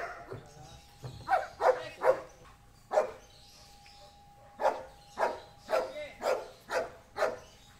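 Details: An 8-year-old Belgian Malinois named Amos, an agility and K9-trained dog at a boarding and training school, barks in a run of short sharp barks, a pause, then a steady series of about six more.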